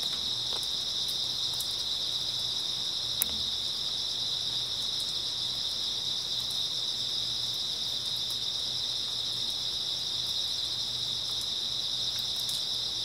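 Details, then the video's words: Grass insects fill an early autumn night with constant high chirping that blurs into one long ringing tone. A single sharp tap stands out near the middle, and a faint low hum runs beneath. "풀벌레 소리"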